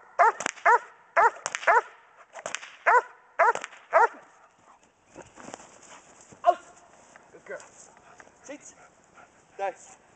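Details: German Shepherd Dog, a pregnant female with a litter due in three weeks, barking during Schutzhund bark and hold training in January: a run of sharp, evenly spaced barks for four seconds, then softer scattered barks, with a handler's voice giving commands.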